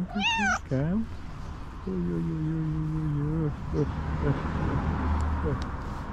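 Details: Tuxie the hungry tuxedo cat lets out a loud sharp meow at the start, then a lower drawn-out call, with a man speaking warmly and low background rumble.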